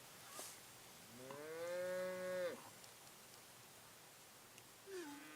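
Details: Domestic cow mooing at a farm in Montezuma, New York, on 4 November 2017, where a Cattle Egret fed on insects near the herd; one long, level, tonal moo over about a second and a half, then a brief falling call at the end.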